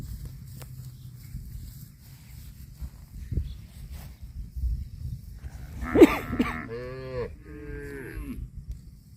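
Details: Cow eating grass gives one loud, drawn-out moo about two and a half seconds long, rich in harmonics and sliding down in pitch toward the end. It follows several seconds of low rumbling background and a few soft knocks.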